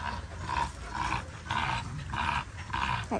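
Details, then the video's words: Linc, a baby Australian cattle dog, plays with bigger puppies in a paddock; five rough, growling bursts come in a loose series about every half second, with outdoor background noise. "Linc the baby cattle dog has a play with the big puppies"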